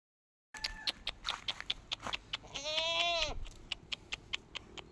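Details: Farm goat in a village setting gives a single wavering, nasal bleat lasting under a second, surrounded by quick repeated sharp taps and clicks.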